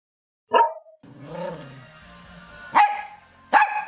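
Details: Pet dog giving one sharp bark, then a stretch of steady tonal background sound, followed by two more loud, abrupt barks close together near the end.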